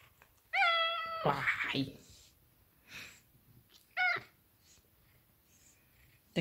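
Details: A Maine Coon cat, being sweet and affectionate, gives a clear, high, drawn-out meow, then a brief second meow.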